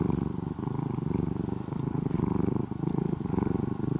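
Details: Loud engine-like purring from a once-stray orange-and-white kitten being tamed into a house cat in Japan; deep, evenly pulsed rumble with clear rhythmic beats of inhale and exhale, nothing else heard.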